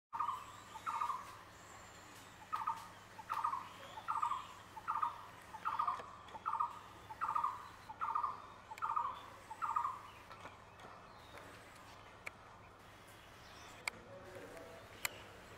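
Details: A barking deer in Trambani Forest, Sundernagar, gives a run of short, sharp, mid-pitched barks in quick succession.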